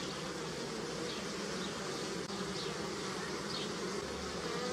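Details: Bees on pussy willow make a steady droning buzz, a dense hum with overlapping wingbeats rising and fading.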